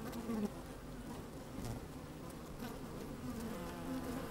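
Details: Worker honey bees moving about inside an opened hive on a sunny, slightly windy day, recorded by a microphone lowered into the hive; a steady low hum with faint wavering tones and scattered clicks throughout.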